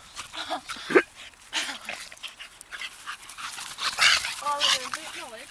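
A Staffordshire Bull Terrier whines and yowls in wavering, rising-and-falling tones, with a person talking nearby.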